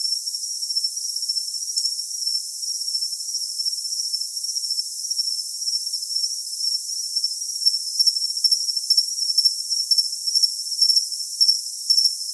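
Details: A steady high ringing drone runs throughout. After about seven seconds, distinct cricket chirps emerge as sharp, evenly spaced pulses about every half second. The sound is thin and treble-only, with no other noises.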